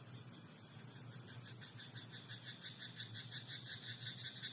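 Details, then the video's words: Rice paddy frog at night, croaking throughout in a fast, even train of short grating pulses, almost three each second, beneath a continuous high-pitched whine and faint low rumble. "田んぼのカエル "Croaking frog in rice paddy at night""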